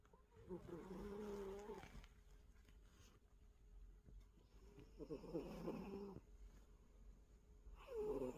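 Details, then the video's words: Sleeping cat snoring in long rasping breaths, each lasting over a second, with a steady low nasal drone; two full snores and a third starting at the end, quiet pauses between. "코골이하는 야옹이"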